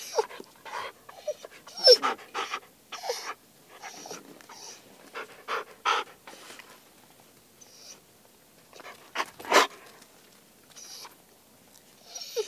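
A Siberian Husky pants in quick, breathy bursts, with a few brief squeaky whines.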